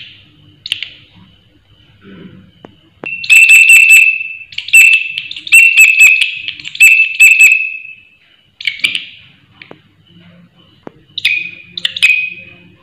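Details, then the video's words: Loud grasshopper calling in shrill, ringing bursts: a few short chirps, then three long buzzing trills of several seconds each with a steady high tone, a pause, and two more brief chirps near the end, over a faint low hum. "Belalang Suara Nyaring"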